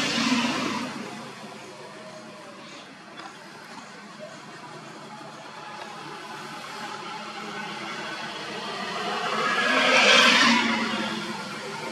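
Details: Steady vehicle and engine noise with a whirring hum, rising revving near the end, and faint speech, with no animal voice heard.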